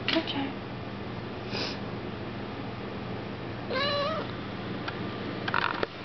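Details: Domestic cat meowing while sitting on its owner's lap, recorded 21 April 2007: one drawn-out, rising then falling meow midway, with a few faint shorter sounds around it over steady low indoor hum and rustling.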